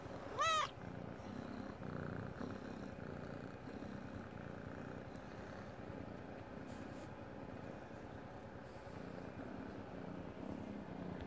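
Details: A domestic cat purrs while lying in its dog bed. A continuous low rumble holds throughout, with a short rising squeak near the start, then an even, pulsing purr to the end.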